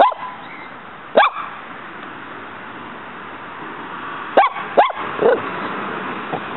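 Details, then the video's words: Yard scene with pet dog Muñeca squaring off against a praying mantis that keeps fighting back; a single bark early, then a quick pair of barks and a softer yelp near the end, with quiet hiss between. "Muñeca vs. campamocha"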